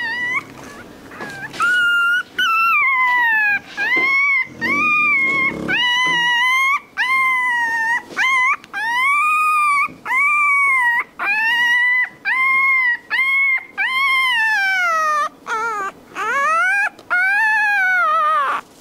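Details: Puppy whimpering and crying almost nonstop, long arched whines that rise then fall, about one every second, with a few brief breaks and some murmuring near the start.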